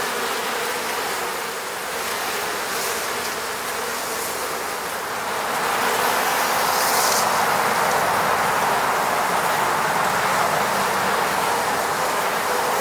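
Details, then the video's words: Honey bees from the Moscow region buzzing around their hive at an eco-apiary, a dense steady hum of many insects that swells louder after about six seconds. "sound of bees buzzing around beehive."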